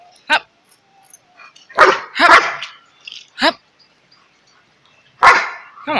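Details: Alaskan Malamute dog giving short, separate barks and yelping vocal calls with a bent, wavering pitch, several seconds apart, in a quiet setting.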